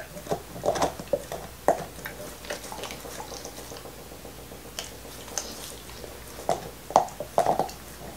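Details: A male black Lab, Nixon, eats his favorite beef bone in 2019. Wet, smacking mouth sounds and occasional crunches cluster at the start and end, with a quieter lull in between, recorded in a still indoor space.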